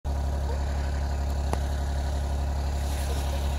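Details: A steady idling engine drone with a strong low hum runs throughout, broken by one sharp click, and no animal voices.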